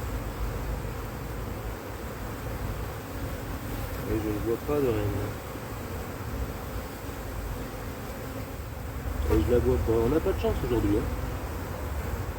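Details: Drone-laying honey bee colony, a split inspected after the first matings failed in the 2024 cold; a continuous low hive drone runs throughout, broken by two short bursts of human speech midway and near the end.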